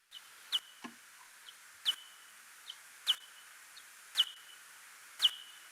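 Pallid bat social calls: short, high chirps with a sharp click, repeated about once a second.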